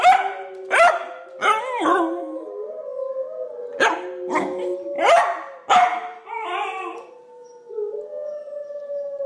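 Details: A female Pembroke Welsh Corgi puppy gives sharp yelping onsets that stretch into wavering, mid-pitched howls, howling along with wolves played on a computer.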